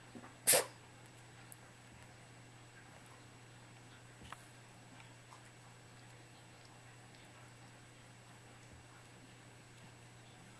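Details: Three-month-old kitten giving a single sharp, explosive sneeze just after the start, followed by near silence with faint clicks and a steady low hum.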